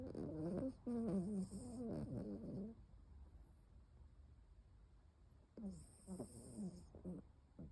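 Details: A toy poodle with a slight cold snoring, recorded on 23 March 2024: raspy, buzzy snores in quick bursts, a loud stretch in the first few seconds, a quiet gap, then a second burst.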